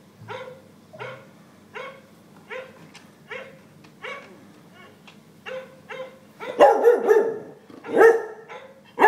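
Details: Cocker spaniel barking indoors while watching a dog on an iPad; short soft woofs repeated about once a second, louder barks toward the end, steady low hum behind.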